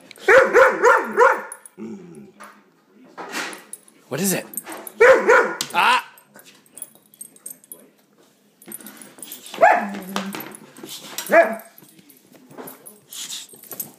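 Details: Dog reacting loudly to an air pump it hates: quick bursts of three to four sharp barks and yips, grouped repeatedly, with low grumbling moans and a person's voice asking what it is.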